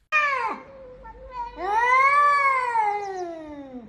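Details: Domestic cat giving a short, sharply falling cry, then a long drawn-out meow that swells and slowly sinks in pitch, clear and tonal with rich overtones, in a quiet room.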